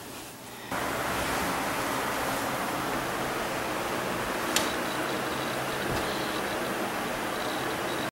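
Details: Even, hissing broadband noise like rushing water fills the recording after a brief quieter start, with one sharp click near the middle and no animal calls.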